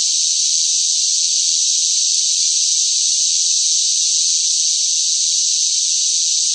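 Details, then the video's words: Noisy cicada chorus in hot summer weather, a continuous shrill buzzing wash of high sound at an even volume from start to finish, with nothing else audible. "뜨거운 무더위 속 시끄러운 매미 울음 소리"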